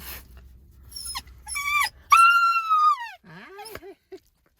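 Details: Shiba Inu crying nonstop from loneliness after a night at a pet hotel, back home with its owner: high, piercing whines, one long drawn cry sliding slowly downward, then shorter lower whimpers rising and falling, with soft background noise before.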